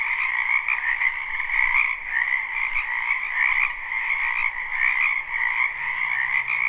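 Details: Spring wetland frog chorus recorded live without looping: many overlapping high trilling croaks form an unbroken band, pulsing gently, with a faint low hum entering near the end.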